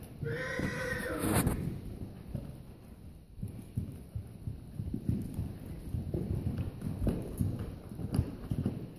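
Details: Percheron cross draft horse, also described as a paint cross, gives a brief whinny with a descending harmonic pitch in the first second and a half. Hoof thuds and clip-clop follow for the rest of the recording.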